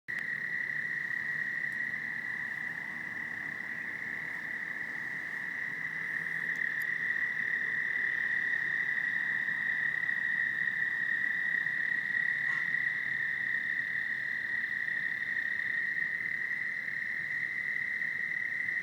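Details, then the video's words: Many toads at Lake Hiawatha trill together loudly in a steady, high, unbroken chorus that hums on without pause. "Toads sounds of lake Hiawatha"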